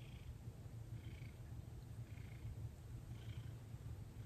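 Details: Cooperative house cat Thomas being massaged at night in early December 2021, eighteen days into gentle touch work; continuous deep, even purring with a gentle pulsing rhythm and light brushing sounds above it.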